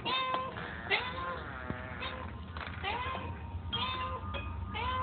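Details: Hungry cat meowing repeatedly, each meow a rising then falling harmonic cry, several in a row over a steady low hum and faint sustained tones in the background.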